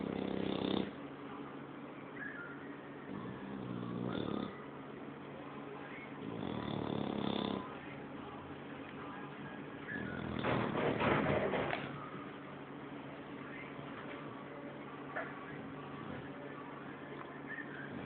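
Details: Snoring from an English Bulldog asleep indoors: rasping, gurgling snores come in irregular bursts about every three to four seconds, the loudest near the end, with soft wheezy breathing between them.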